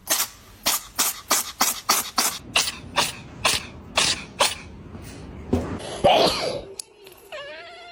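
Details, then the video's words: Winky the pet cat in a sneezing fit: about fifteen quick, snappy sneezes in a rapid run, roughly three per second, slowing and fading, then a louder snort and a human voice at the end. "Cat sneezes"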